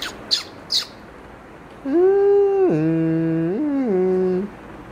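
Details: Cat giving a long drawn-out yowl that holds steady, drops sharply, then climbs and falls again over nearly three seconds, preceded by a few short taps.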